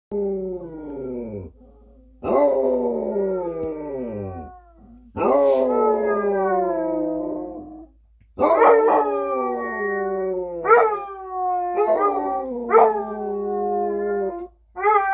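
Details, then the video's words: Two Basset Hounds, Maggie and Eeyore, howling together as they usually do: long drawn-out baying howls that start high and slide downward, each lasting one to two seconds, separated by short pauses, with overlapping voices toward the end. "Howling Bassets!"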